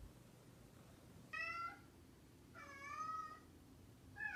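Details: Meows from a mischievous pet cat, two distinct drawn-out cries about a second apart and the start of a third, softer and set against faint background noise.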